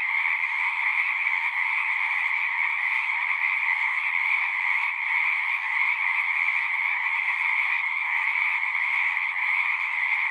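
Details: Many frogs sing at once in an unbroken chorus, a steady high buzzing trill layered in two bright pitch bands, even in loudness throughout, with nothing else clearly audible.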